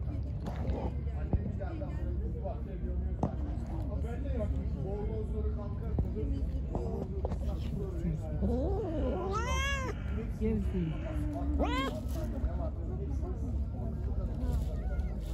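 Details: Angry, hungry pregnant stray cat being given food outdoors: two or three drawn-out meows that arch up and fall, mixed with a person talking and a constant low rumble.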